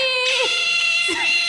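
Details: Pet otter given an ice cake as a treat, uttering a high, piercing squeal with strong whistled overtones, a short falling note near the start and another rising-then-falling squeak after a second.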